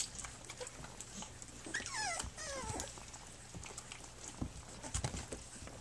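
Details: Flute's puppies, nursing and playing on their three-week birthday, give a thin, high whimper that slides downward, then a second, shorter falling whine right after, over soft rustling and small clicks.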